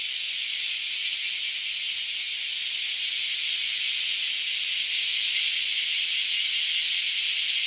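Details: Cicadas swarm around a farm house in Japan, their combined buzzing forming a loud, unbroken high-pitched hiss with slight wavering pulses throughout.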